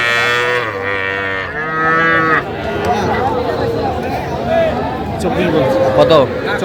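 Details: Young bull and heifer calves at a cattle market where farmers from Dhaka, Bangladesh, buy stock, 3 August 2025. Two rich harmonic moos in the first two seconds, one straight after the other, then haggling voices and crowd chatter.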